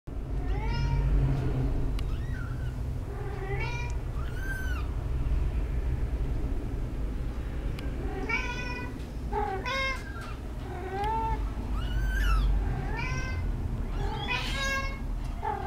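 A Munchkin cat meows repeatedly, with short arched cries over a steady low rumble.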